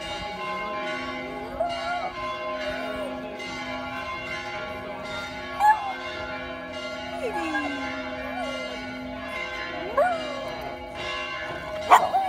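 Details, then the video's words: Billy, a pet dog, howls along with the bells of a church in Vasto, his voice gliding up and falling in long wavering arcs over a steady ringing of many bell tones, with louder bell strikes near the end. "Dog howling at church bells"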